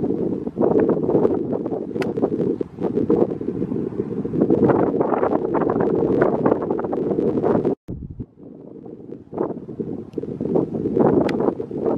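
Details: Steady wind rumbling against the microphone, with a brief drop near the end and no clear animal calls.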